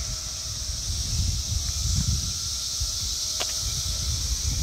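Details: Periodical cicadas massed in chorus during the Brood X emergence in Towson, Maryland, on 22 May 2021: a steady, unbroken high hissing drone without pauses, over a low rumbling of wind or handling noise.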